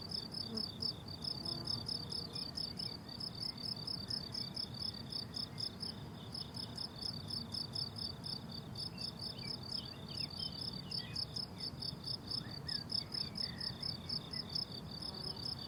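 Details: Crickets on a blooming summer meadow, recorded without music or talking: a dense chorus of rapid, high-pitched pulsed chirps repeating steadily for the whole stretch, with a soft low rumble underneath and a few faint higher trills.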